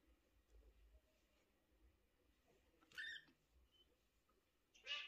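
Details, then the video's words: Sociable mother cat meowing and talking with her kitten and her owner. Two short, bright meows, one near three seconds and another at the end, stand out over a quiet, low background hum. "Общительная мама кошка мяукает и разговаривает с своим милым котёнком и хозяйкой"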